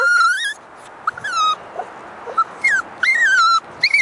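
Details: Female toy poodle puppy about six months old, out on a walk on a nice day, giving short high whining yelps that rise and fall, spaced irregularly over a quiet outdoor background.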